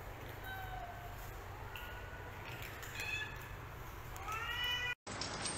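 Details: Faint domestic cat meows over steady background hiss, thin drawn-out calls early on, then a louder cluster of short, bright meows near the end before a brief dropout.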